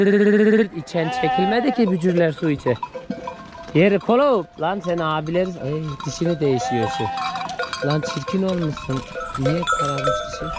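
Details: Young male lambs, parted from their mothers, bleat repeatedly for them: a strong steady call opens, followed by a stream of trembling, wavering bleats from several lambs, with a bell-like ringing heard throughout.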